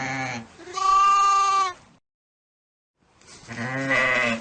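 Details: Two loud, wavering goat bleats, the first long and strained, then a second after a silent pause of about a second.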